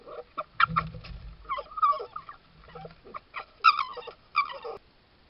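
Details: Wild red foxes filmed by trail camera in a Suffolk garden, 19th–20th July 2022, making a run of short, harsh, chattering calls and clucking yelps in quick bursts, with low thumping sounds underneath.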